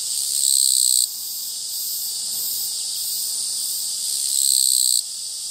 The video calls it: 鳴くキリギリス Japanese Katydid